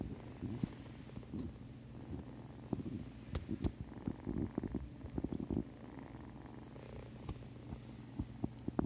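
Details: Nursing kittens purring close up, a low steady rumbling drone broken by sharp clicks and brief rustles of movement.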